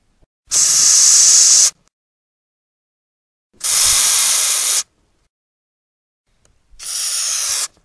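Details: Madagascar hissing cockroach producing three forceful, airy hisses of roughly a second each, spaced about two seconds apart in an otherwise silent setting; the species is a wingless insect popular in home breeding.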